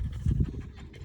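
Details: Dog with tongue out enjoying fresh air and sunshine in a green countryside field; short burst of rapid, airy panting strokes above a deep background rumble.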